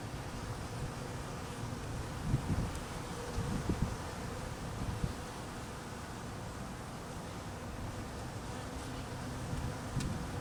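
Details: Honey bees humming in cold weather while hungry and being fed: a dense, continuous low droning buzz from many bees, with occasional louder passes of individual bees flying close by.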